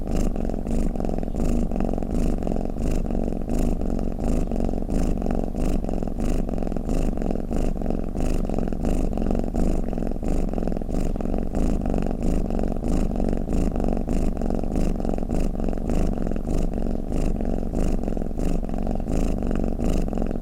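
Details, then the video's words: Domestic cat purring or snoring, a steady low rumble with fast pulses about ninety a minute, even and unbroken for twenty seconds, with no other sounds standing out. "เสียงแมวคราง เสียงกรนของแมว | snoring cat"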